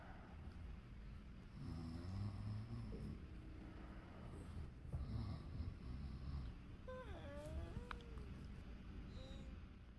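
A sleeping Pinscher snores in low, rumbling breaths, with a brief higher squeak late on.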